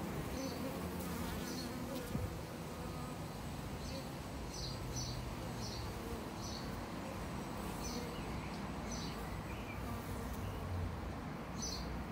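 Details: Apiary bees drinking from water with sticks placed in it: a continuous deep hum of wingbeats, with short high chirps repeating every second or so behind it.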